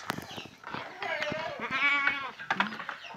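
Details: Fullblood Boer goat kids in a pen at Boerkah Jaya farm, Blitar, about three and a half months old. One wavering, tremulous bleat with a rich harmonic stack rises amid a man talking, with hand claps and knocks around it.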